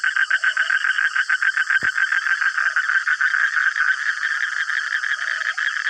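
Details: Many frogs crowd the middle of the night with a full-throttle chorus: fast, rattling pulsed croaks about three to four per second, overlapping continuously, one brief click near the start.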